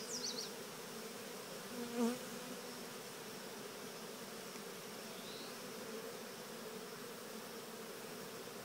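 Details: Steady, dense humming from honeybees in a swarm walking into an early Cathedral Hive, with a brief louder buzz of a passing bee near two seconds and a couple of faint high bird chirps.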